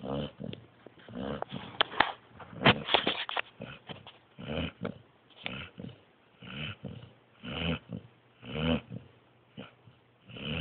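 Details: Sleeping pointer pup breathes in rough, snorting snores, irregular and louder at first with fluttering snorts and snuffles, then settling into steadier raspy breaths roughly once a second.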